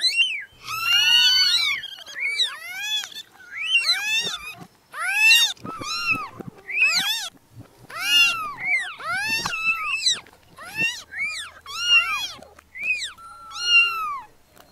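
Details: Many very small newborn kittens crying together: a rapid stream of about twenty short, high, rising-then-falling mews, often overlapping, with barely a pause between them.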